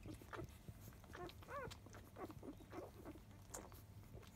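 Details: Field-line Labrador Retriever pups, five days old, nursing at ten in the morning from their mother biscuit. Short squeaks and murmurs surround one clear, high, rising-then-falling squeal near the middle, over faint snuffling.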